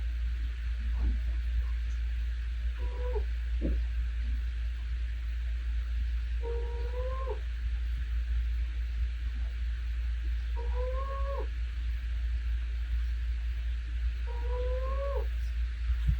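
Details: Domestic cat asleep and snoring, each breath giving a brief whistled double-toned note that bends upward, four such notes spaced roughly four seconds apart against a constant low droning hum.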